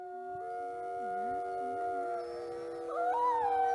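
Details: Several captive, critically endangered Mexican gray wolves at a conservation breeding centre howl together in their den on a windy day, in long, overlapping tones that slide up and down.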